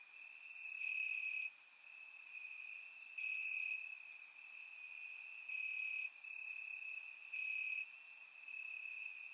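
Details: Summer night in Bulgaria, crickets chirping among grass, surround microphone: a piercing steady trill carries through while overlapping higher chirps pulse at irregular one-to-two-second intervals, no other sounds.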